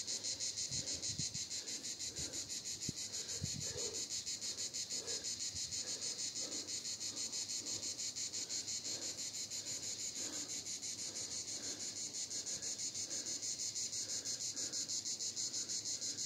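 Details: Cicadas at Vidauban in 2024 fill the air with a loud, high, dry buzz that pulses steadily about three times a second.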